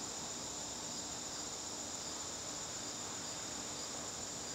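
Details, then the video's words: Garden crickets on a September evening, a steady high, thin trill held without a break over faint broadband background hiss. "garden crickets"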